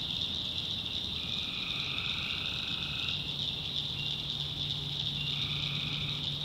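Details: Tree frogs calling at night in a swamp in the backwoods of North Carolina: a dense, shrill, unbroken high chorus with long steady trills layered beneath, switching on and off every few seconds, over a faint low hum.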